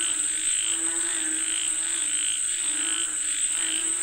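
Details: A frog chorus calling for rain, with repeated short rattling bursts at an even pace, a low buzzing undertone and a persistent shrill high tone.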